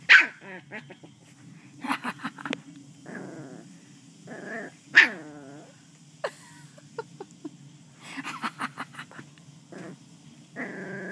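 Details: West Highland White Terrier puppy playing with a person, giving short harmonic growls and sharp yips in bursts, with brief pauses between outbursts and a steady low hum underneath.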